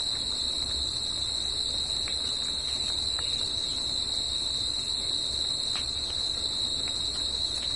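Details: Crickets at night fill the air with a continuous piercing trill at a steady pitch, a faint second high buzz overhead, occasional soft ticks and a muffled low hum underneath.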